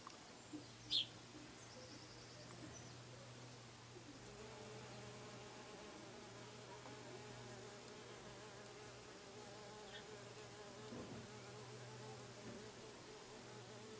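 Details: Bees humming softly at a distance, a faint steady drone that strengthens after a few seconds, with a brief sharp click near the start and a low background hum.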